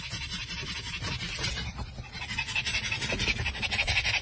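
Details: Pug puppies panting rapidly in quick, breathy, raspy bursts, about three each second, loudness swelling toward the end, over a low rumbling background.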